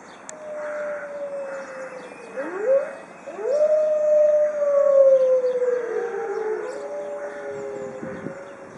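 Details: Pack of white Arctic wolves in a zoo howling together; a long level howl gives way to short upward-sweeping calls, then a loud falling howl joined by other voices, with a brief low thump near the end.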